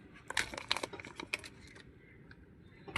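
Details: Quiet crinkling, tapping and scraping noises sound over a low background hum.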